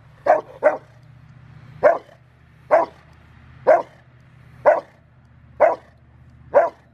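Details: Eight sharp, heavy barks from River v Schwarzerwald, a five-year-old male Rottweiler doing bite training ahead of his ZTP trial, January 20, 2020. The first two come as a quick pair, the rest about one per second.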